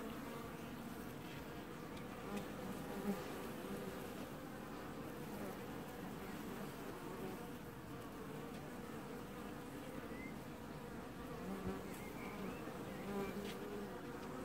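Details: Honey bee colony wash-boarding at the hive in an apiary, filmed in early July: a dense, steady hum of many bees with droning bands around the low-mid range and faint brief buzzing flights passing over it.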